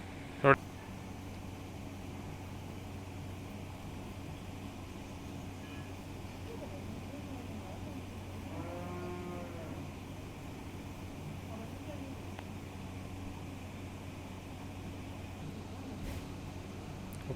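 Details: Jersey cow at Swami Dairy Farm in Shri Ganganagar, Rajasthan, giving one short, low harmonic moo that swells and fades after a long stretch of steady mechanical hum; a sharp click near the start and brief human voices nearby.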